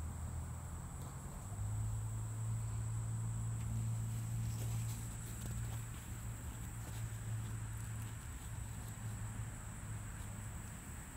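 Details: Common eastern bumble bee (Bombus impatiens) buzzing: a steady, low droning hum that swells and fades slightly over eleven seconds, with a faint constant high-pitched whine in the background.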